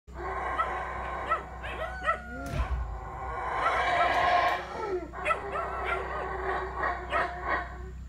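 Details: Howler monkeys at Monkey River, south of Placencia, Belize, roar together in deep, rasping, overlapping bursts that swell and fade.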